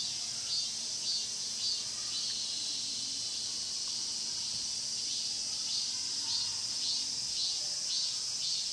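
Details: Cicadas singing in Mokgye pine grove, Cheongsong, Korea, recorded on a Panasonic LUMIX GX9 camera: a dense, shrill, unbroken hiss high in pitch, with faint rhythmic swells pulsing through it about twice a second.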